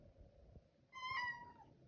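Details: A Siamese cat at feeding time gives one clear, drawn-out meow that holds steady, then dips at the end, answering when offered tuna.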